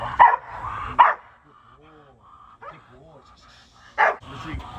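An American Pit Bull Terrier gives a few loud, harsh barks spaced apart, guarding its owner.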